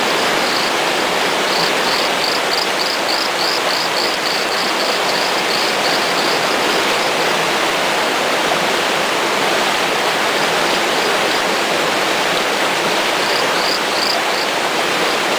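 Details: A small torrent frog (Micrixalus saxicola) calls, a quick run of high, ticking notes over the rush of a stream.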